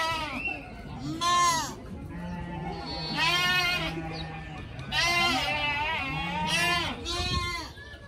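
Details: Young pygmy goats frolicking together bleat repeatedly, high wavering cries about every one to two seconds, while a voice talks throughout.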